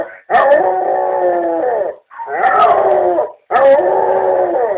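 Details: Domestic Basset Hound howling in reaction to a relative's voice played on an answering machine; three drawn-out mournful howls, each about a second and a half long with slight downward bends, separated by short pauses.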